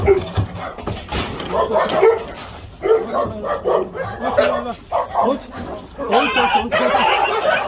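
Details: Jindo, an abandoned dog facing euthanasia, during a rescue and transport; sharp, harsh barks burst out about once a second, mixed with overlapping human voices.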